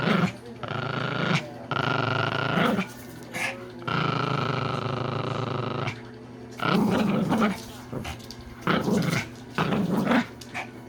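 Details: Male Pomeranian asleep and snoring, born 30 October 2019: long droning snores of one to two seconds, harsh and buzzy with a faint whistling tone, separated by quiet pauses, then shorter choppy snorts near the end.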